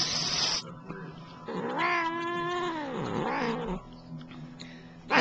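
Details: Domestic cat talking back to its owner while being groomed, a long wavering meow that rises, holds, then dips and trails off, with a woman's voice before and after.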